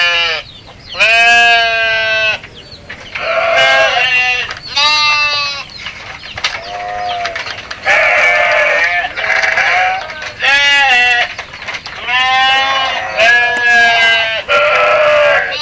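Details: Goats bleating over and over, each a quavering, nasal bleat about a second long, coming in quick succession with short gaps between calls.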